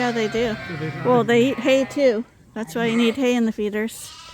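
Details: Suffolk lambs at Ewetopia Farms, mixed into one big group in the barn after a gate was left open; wavering, harmonic bleats from several lambs, a run of short calls, a brief pause, then more overlapping bleats.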